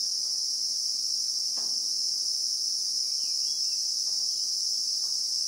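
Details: Christmas beetle (Anoplognathus) in South African bushveld, recorded in real time: a steady, unbroken high-pitched shrill buzz holding level throughout, with a faint soft knock near the middle and a few quiet chirps beneath.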